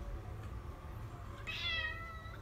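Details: Maine Coon cat indoors giving a short harmonic meow late in the clip, after a low background hum; a woman speaks French to it before and after.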